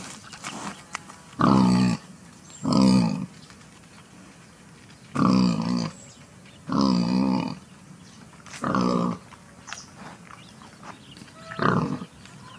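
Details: Wild boar in a clearing near the forest give a series of deep, harsh grunting squeals, each about a second long.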